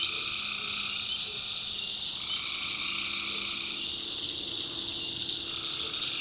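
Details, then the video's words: Backwoods swamp in North Carolina at night, where tree frogs keep up a thick, shrill trilling chorus in layered pitches, accompanied by brief low clucking notes repeated irregularly near the bottom of the range. "Relaxing Swamp Sounds at Night - Frog Heaven - Frogs, Crickets, Forest Nature Sounds"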